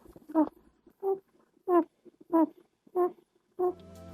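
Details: A domestic rabbit hums in short, soft, nasal honks repeated about every two-thirds of a second, a sound typical of males during courtship, sometimes also made when relaxed and content.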